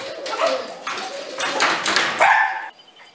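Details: A toy poodle at play gives a quick run of high, sharp yapping barks, one after another.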